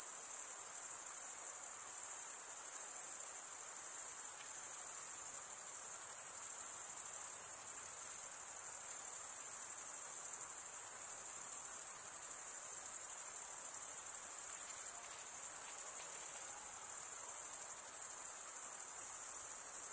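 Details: Continuous shrill cricket chirping, many insects blending into one high, even, pulsing drone that never pauses, over a quiet background hiss.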